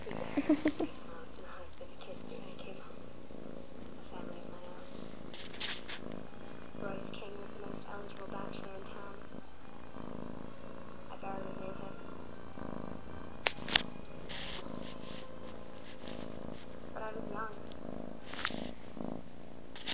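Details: Tortoiseshell kitten suckling on its adoptive mother indoors. A low, steady, continuous purr rumbles throughout, with faint voices and occasional small clicks.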